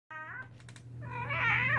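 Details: A domestic cat gives a brief harmonic meow, then a longer, wavering, rising call that grows louder toward the end, over a steady low hum.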